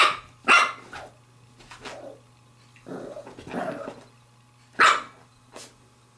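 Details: Female Pembroke Welsh Corgi puppy, seven weeks and six days old, playing with a glove: sharp high yips near the start and near the end, with a rougher drawn-out growling bark between, over a steady low hum.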